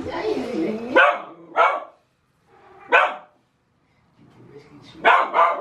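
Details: Puppies giving short, sharp yips and barks in separate bursts about one to two seconds apart, with a softer whine at the start and brief silences between.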